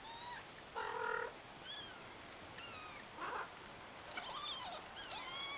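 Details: Many brother and sister kittens calling one after another: short squeaky mews, some rising and some falling, and a brief harsher squeal, overlapping over about five seconds with steady background hiss.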